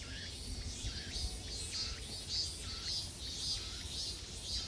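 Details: Cicadas in a summer forest on Mt. Iseong, Hanam, Korea, fill the woods with a high, hissing buzz that pulses about twice every second.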